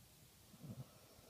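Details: Sleeping Basset Hound snoring: one short, low, rumbling snore swells briefly in the middle, then fades back into a quiet, steady background hiss.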